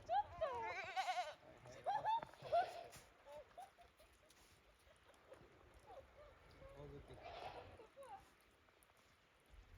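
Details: Goats at Yoshigake Farm, cautiously treading fresh snow after heavy snowfall on 28 December 2023; a quick run of three tremulous bleats at the start, a single later bleat, with human speech and crunching sounds between.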